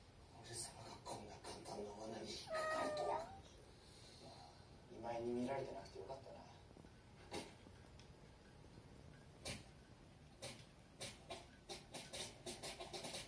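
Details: Somali cat meowing as a drink is stirred; a loud drawn-out wavering meow, then a second strained, buzzy meow a few seconds later, followed by clicks and taps, with television dialogue running behind.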